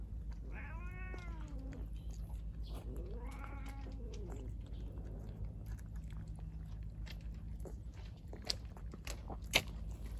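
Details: Stray calico cat, eager to carry her Kalkan food outside, gives two drawn-out meows with rich stacked harmonics in the first few seconds, followed by soft chewing clicks over a steady low hum.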